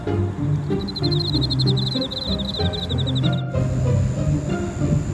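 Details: Emma field cricket (Teleogryllus emma) males, many calling at an autumn insect-collecting site in Japan, sing a high, rapidly pulsed chirping trill over loud background music.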